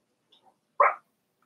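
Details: Four-week-old Cavalier King Charles Spaniel puppies from Daisy's litter, in their indoor puppy pen: two faint soft sounds, then a single short, loud yip lasting about a fifth of a second, followed by quiet.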